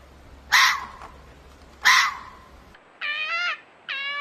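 A fox gives two hoarse, rasping screams, then two shorter, tonal, wavering cries.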